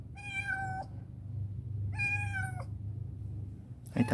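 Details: Rescued black female cat named Chibikuro, once a stray kept in a storehouse and now grown affectionate, meows twice in long harmonic calls near feeding time, a low hum underneath and a clatter at the end.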